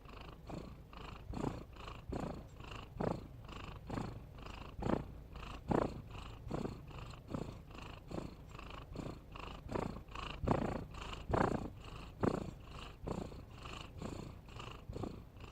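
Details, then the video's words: Cat snoring in long even series of raspy inhale-exhale pulses, roughly one every 0.8 seconds over fifteen seconds, some breaths louder and sharper than others, otherwise quiet. "Suara Kucing Ngorok"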